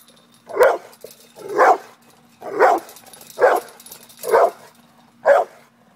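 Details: Pit bull facing off with a cat, barking steadily: six loud, short barks spaced roughly one second apart, with a faint steady hum underneath.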